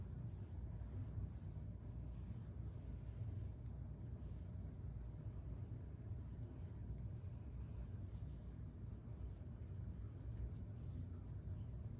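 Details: Quiet, steady low rumble like distant traffic or room noise, with no meows or other animal calls.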